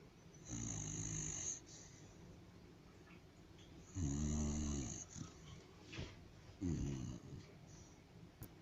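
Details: White house dog snoring in its sleep indoors: three deep, buzzy snores of about one second each, separated by quiet breaths and a few faint snuffles.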